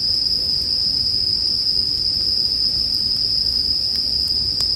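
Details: Bell crickets keep up a sustained high-pitched ringing drone, with a few sharp crackles from a wood fire near the end, set as calming sleep background.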